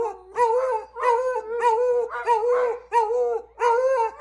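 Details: Howling beagles joined by a lab, five drawn-out wavering howls, each about half a second, rich harmonic tones repeating in close succession with short breaths between.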